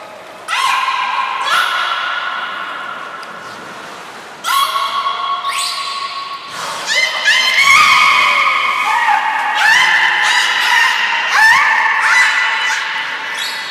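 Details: A beluga, Nana or Niko, in training at Port of Nagoya Public Aquarium, 7 October 2018: a run of about ten harmonic whinnying calls, short rising squeals each roughly one to two seconds apart, strung into a busy, echoing chatter.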